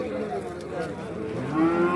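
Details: Young bull calves at a busy market in Kollannur, where they are bought and sold; a low moo swells and rises in pitch near the end, heard under continuous chatter from traders and buyers.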